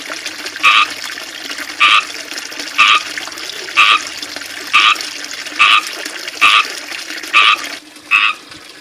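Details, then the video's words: Frogs living in a small ivy-surrounded backyard fishpond with a water fountain, chirping loudly: short two-toned bursts repeated roughly once a second, nine in a row, over a steady wash of trickling fountain water. "Small backyard fishpond with water fountain (and frogs)"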